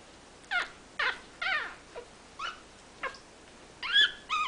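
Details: Ariel's 17-day-old puppies, just starting to walk and play, cry in thin, high squeaky whimpers that slur downward, about eight short cries in four seconds, the last ones doubled, against a quiet indoor background.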